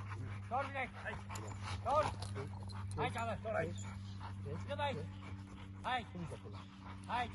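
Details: American Bully XXL dogs during security and protection training: short, arched, harmonic barks or yelps recurring roughly once a second, mixed with people speaking and a steady low hum.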